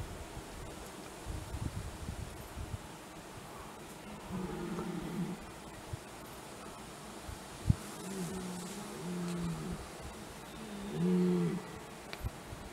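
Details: Red deer stags during the 2021 rut, several bulls with a fight: low, drawn-out groaning roars at around four, eight to nine and eleven seconds over a quiet, rustling background with scattered clicks.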